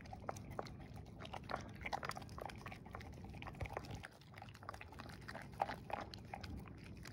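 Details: Female English Springer Spaniel eating her dinner of kibble and cooked beef indoors while wearing a snood over her ears; quiet, irregular crunching and clicking bites with wet chewing in a small room.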